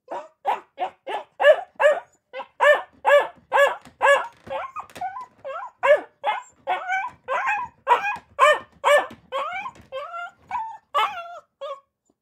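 Akita puppies give rapid, high yappy barks, some breaking into whiny yelps and squeals.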